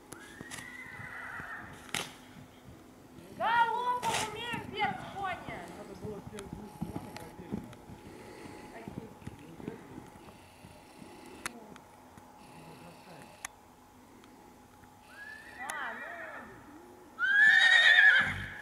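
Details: Purebred Akhal-Teke horses, born and kept in Dubna, Moscow region, Russia, whinnying: a high arching call at the start, a shaky, quavering whinny near four seconds, and two more arching calls near the end, over speech and a steady background hum.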